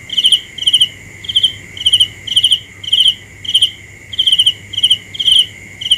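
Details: A cricket gives a steady run of crisp, high chirps, roughly two per second, each a tight cluster of rapid ticks, with a constant thin high drone continuing underneath.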